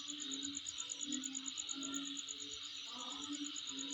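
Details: A high insect trill, rapidly pulsed and unchanging, heard at home, with low wavering tones in the background.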